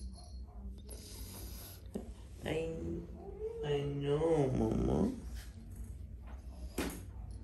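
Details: A scared Bengal cat (Felis catus) gives a drawn-out, wavering fearful yowl that rises and falls in pitch; the cat is in a bad mood and frightened.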